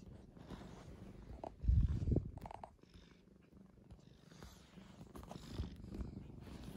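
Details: A calm, mild-natured male tabby pet cat, taken in as a kitten in spring 2015, purrs indoors with a continuous deep throaty vibration, swelling loudly for a moment around the second mark, then settling back to a soft hum.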